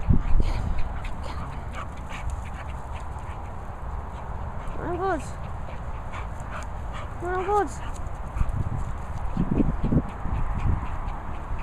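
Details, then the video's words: Bichon Peppa eggs on English Bull Terrier Bailey to chase her. Two clear, arched, whiny yelps about two and a half seconds apart stand out mid-clip, with rustling scuffles and low rumbling noise before and after. "Bichon FILTHY Peppa wants English Bull Terrier bailey to chase her!"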